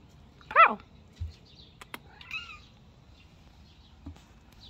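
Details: Domestic cat beside a door opened to sunny, very nice weather: one loud, short harmonic meow rising then falling, followed by faint softer chirping calls, a few thumps and clicks, and a person speaking nearby.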